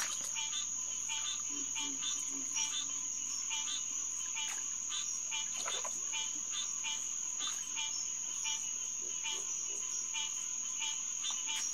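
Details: Chorus of green tree frogs (Hyla cinerea) at SMNWR Headquarters Pond on a June night in 2021: many overlapping twangy honks, nearly two per second and irregular, backed by a constant piercing insect drone.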